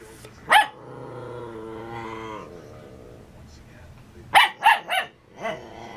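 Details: A schnauzer puppy, 12 weeks old, confronting his own reflection in a mirror: a single sharp bark, a drawn-out whining tone, then a quick run of three or four yappy barks.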